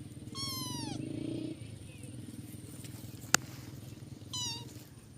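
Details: Cat giving two clear, drawn-out meows, each with a bright harmonic tone that bends and falls, the first longer, the second short, over a steady low hum with a faint click between.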